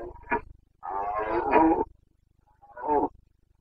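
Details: Rutting Carpathian stag in the mountains of Bucovina, 29 September 2022, giving its breeding-season roar, boncănit: a brief grunt, then a long raspy bellow of about a second, then another short roar, over a low rumble.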